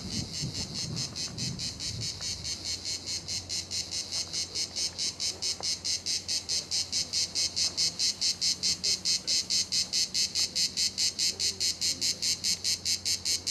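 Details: Cicadas at La Garoupe on Cap d'Antibes, France, sing a loud, high, rasping buzz that pulses steadily and strengthens as it goes.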